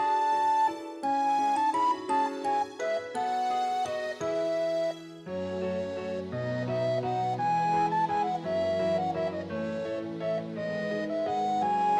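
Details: Soft instrumental background music plays a gentle flute-like melody over sustained chords.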